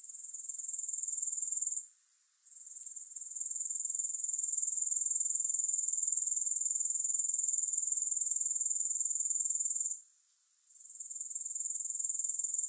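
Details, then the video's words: High-pitched insect trill from a grasshopper relaxation recording with no music, fast even pulses forming a continuous shimmer, broken by two short pauses of under a second before the buzzing resumes. "3 Hours of Grass Hopper Sounds"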